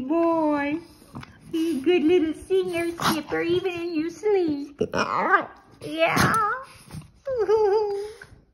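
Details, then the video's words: Boston Terrier singing indoors right after waking from sleep: drawn-out, wavering howled notes in several bursts of about one second, with a person talking, praising and laughing over it in a small room. "the Boston Terrier goes from sleeping to singing!"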